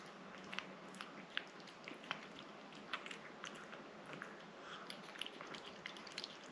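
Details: A pet cat named Rangi working at a liquid treat: soft, moist chewing and licking clicks at an uneven pace, several per second, some sharper bites standing out against a faint steady hiss.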